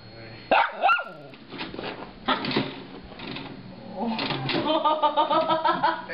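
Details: Small Shorkie dog reacting to a DVD player: a sharp high yelp early on, a few short rough barks, then a wavering, harmonic whining howl that rises and falls over the last two seconds.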